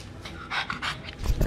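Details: Boston Terrier panting in the countryside while fitted with a sturdy new harness after an escape; quick breathy puffs repeat roughly every third of a second, ending with louder low thumps.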